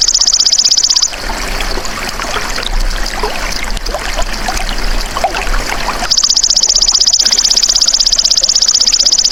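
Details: Golden grasshopper's sharp pulsed buzz ends after one second. Five seconds of busy trickling and rustling background follow, then the rapid, steady trill returns for the last three seconds.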